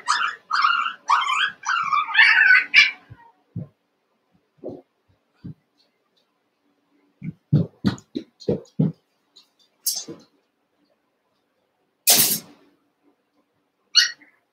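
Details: Eight young Cavalier King Charles Spaniel puppies play-fighting in a pen: a rapid burst of squeaky, yelping barks and whines for about three seconds, then scattered soft thumps and scuffles, and a few short high yips near the end.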